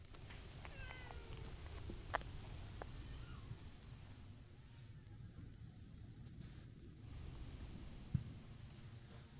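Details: Stray tortoiseshell cat emerging on a street while a ginger tabby waits nearby: one short, bending meow near the start, then quieter, over constant low background rumble and a few soft clicks.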